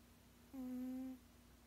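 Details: A 16-year-old male cat snoozing, making a snore that comes out as one steady, tonal hum lasting about half a second, even in pitch with soft overtones, against a quiet background.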